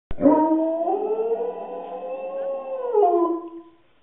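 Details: A Rottweiler "in love" gives one long, sustained howl that rises slightly, holds steady, then drops away.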